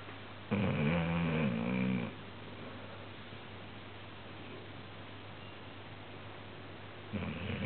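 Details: Snoring from Marie, a sleeping dog described as very loud: a long, harsh, buzzing inhalation of about a second and a half, then quiet, then the start of another rasping breath, over a low indoor hum.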